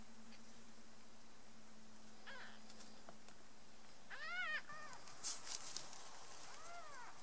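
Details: Three-day-old domestic kittens quarrelling and kicking. After a quiet low hum, a burst of two or three high arched mews comes midway, then a single softer mew near the end, with some rustling in between.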